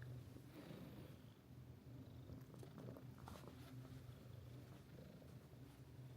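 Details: Mika-chan, the friendly female resident cat of Minshuku Nozaki, a hot-spring guesthouse near the sea in Ito Onsen, Shizuoka Prefecture, Japan, purring indoors: a quiet, steady, low rumbling purr that continues unbroken for about six seconds, with faint rustling.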